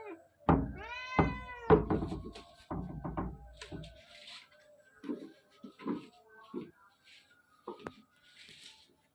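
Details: Domestic cats indoors: two kittens about two months old play hide and seek while their mother watches and meows repeatedly to warn them. Two drawn-out, rising-then-falling meows open the recording, followed by softer thumps, scuffles and short murmurs.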